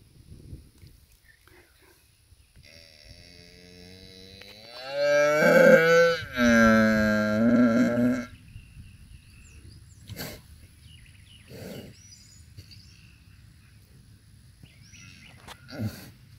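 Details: Cow giving birth to a bull calf on a farm, bellowing a long harmonic moo of about three seconds with a brief break midway, followed by quiet rustling and a few short knocks.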